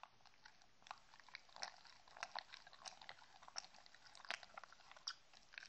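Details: Shetland Sheepdog named Mindy munching treats indoors at close range. Sharp biting crunches land about once every second amid softer moist chewing ticks, with no voices or music.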